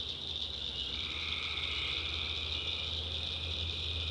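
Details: Tree frogs in a North Carolina backwoods swamp after dark, calling as a constant high-pitched chorus. A second, lower droning layer begins after about a second, and a low steady rumble runs beneath.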